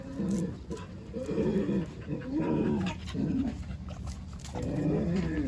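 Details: Jindo dogs at first shared housing, as newly arrived puppy Songi meets white-eyed Jindos Jaewang, Dongi, Daejeong and Bori, who welcome her; low grumbling growls come in repeated bursts about once a second, with scattered clicks and knocks.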